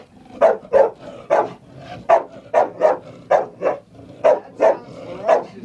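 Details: A frightened female dog barks at a chair, with about thirteen clipped barks, often in pairs, spaced evenly across a few seconds and no other sounds.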